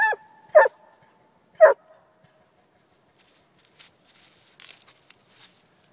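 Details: Coonhound giving three loud, sharp barks within the first two seconds, the first two close together and the third after a pause, then quiet with only faint high rustling.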